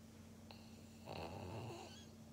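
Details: Maria, a pug in Japan, recorded 16 February 2021, gives one rough, rasping snore lasting under a second over a steady low indoor hum.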